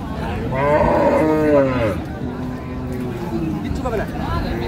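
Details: At Raniganj livestock market in Dinajpur, Bangladesh, 8 May 2025, a cow with calf gives one loud, harmonic, wavering moo lasting about a second, followed by fainter lowing, while buyers and sellers talk and haggle nearby.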